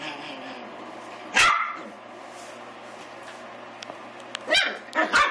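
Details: Young Pomeranian and Miniature Australian Shepherd mix, eight weeks old, playing at killing a door stop: a single sharp yap, a quiet pause, then two more quick yaps near the end, with low background hum.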